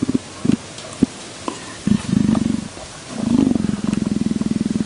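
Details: Leopard purr in short low bursts with pauses, then a longer rhythmic stretch of fast, regular rumbling pulses.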